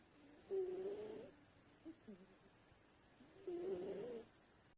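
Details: Sleeping cat snoring softly, two rasping, breathy snores about three seconds apart with faint quieter breaths between, in an otherwise quiet room.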